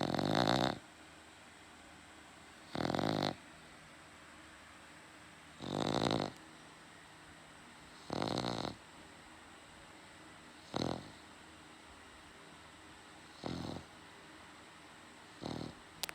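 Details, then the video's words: Dog snoring loudly at night in a quiet room, keeping its owner awake: rough, buzzing snores repeating roughly every two and a half seconds, some longer and some shorter, over a faint constant hum. "My dog snores too loud"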